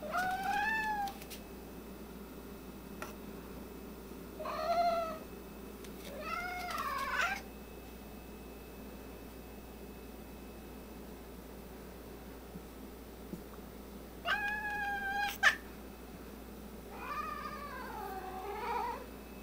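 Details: Domestic cats indoors, a white one described as having an attitude problem, angry. Several short harmonic meows with wavering, bending pitch come in bursts around one, five, seven, fifteen and eighteen seconds over a low steady room hum.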